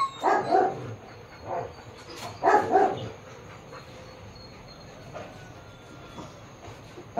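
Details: Japanese Akita at a Baguio City shoot on October 21, 2023, barking a few times in the first three seconds, then quiet with only faint background hiss and a steady high tone.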